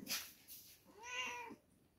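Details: Single drawn-out meow from two-week-old kittens at milk time, about half a second long with a rising-then-falling arched pitch, preceded by brief clicks and rustles.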